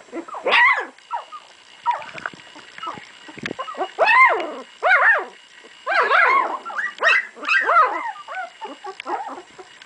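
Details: Two-week-old puppies; a chorus of high, arching squeals and whimpers, each rising then falling, overlapping in quick bursts with short gaps and a faint steady hum.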